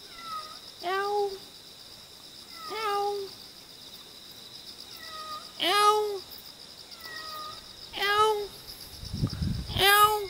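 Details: Cute wild cat in Jeonju, North Jeolla Province, Korea, meowing five times, roughly every two to three seconds. Each meow is a drawn-out, slightly bending cry with rich harmonics, over a steady high-pitched buzz and a brief low rumble near the end.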